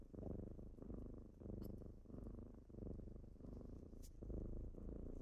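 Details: Kittens purring in the morning as they wake their owner indoors. A low, rumbling purr swells and fades in steady breathing cycles, about one every second, with a few faint clicks.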